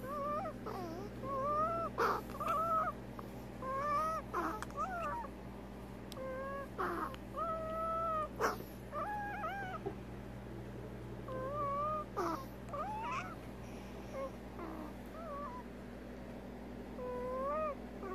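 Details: Veronica, a pet prairie dog with an odontoma, making abnormal sounds from her disease: many short tonal whines, some rising, some wavering, with strong overtones. They come in irregular bursts over a steady low electrical hum.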